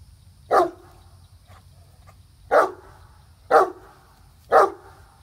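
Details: Great Dane, a seven-year-old female, barking while chasing and leaping at a squirrel teasing her from up in a tree; four short, loud barks, roughly one per second, with a gap after the first.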